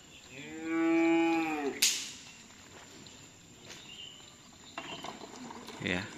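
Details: Racing cattle at a karapan sapi (bull racing) training session at a field in Galis, Bangkalan: one long harmonic moo lasting about a second and a half, followed by a sharp bang and scattered clatter and voices.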